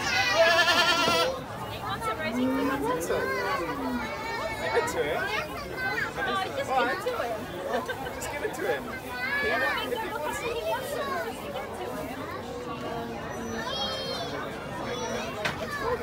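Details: Goats at a goat farm in Amsterdam Forest, Netherlands: a loud, harmonic bleat opens the recording, followed by steady Dutch and English conversation and children's chatter, with faint further animal calls mixed into the crowd noise.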